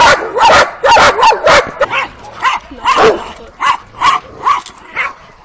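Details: Twelve-week-old working Kuvasz puppies out on their first street walk, April 2017: about a dozen sharp, high yelping barks in quick succession, some with a whining edge, spaced roughly every half second.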